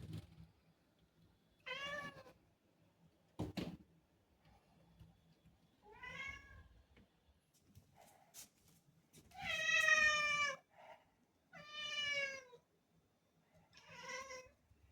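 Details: Black cat meowing to ask for a door to be opened, indoors; several short harmonic meows spaced about two seconds apart, the loudest and longest near the tenth second, with faint knocks and room noise between calls.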